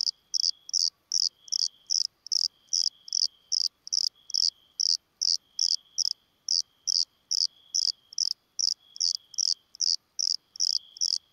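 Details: Bordeaux cricket, Eumodicogryllus bordigalensis, recorded at San Vito al Torre, Italy, 8 June 2023: a long series of high, buzzy chirps, about two to three per second, evenly spaced, with a faint lower steady hum throughout.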